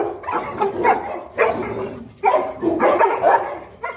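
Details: Boerboel (South African Mastiff) pair Enzo and Diva, male and female, living in Egypt, at play; rough, harmonic barks come in bursts, some doubled, with short quiet gaps between volleys.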